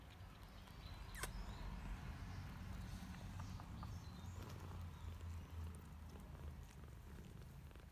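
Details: Kitten purring while licking a person's finger; a low, steady rumbling purr runs through the whole stretch, with a faint sharp click near the start.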